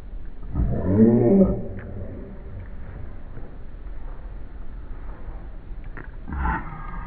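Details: Havanese dog at play on a lawn, slowed down so it sounds like a dinosaur: one long low rumbling roar near the start, then quiet rustling and a short hoarse burst toward the end.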